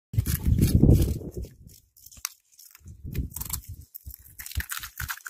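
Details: Cat eating, heard as crunching: a dense burst of low, thumping chews in the first second and a half, then a pause and scattered crisp crackly bites with sharp broadband clicks.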